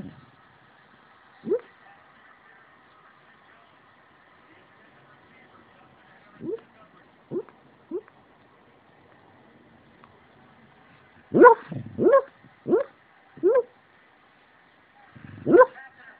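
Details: An 8-year-old rescue Beagle, a deep sleeper, barks in its sleep: stifled, breathy woofs come singly at first, then a quick run of louder half-bays, over a steady low electrical hum.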